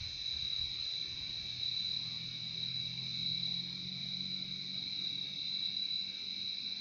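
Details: Crickets chirping in a relaxing nature recording: a steady, continuous high-pitched trill from several insects, with a faint low hum beneath.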